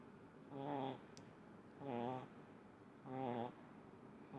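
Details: Sleeping little pug Munichka gives a steady snore, three rasping, harmonic-rich breaths at even intervals of about 1.3 seconds, each swelling and fading, one faint click between them.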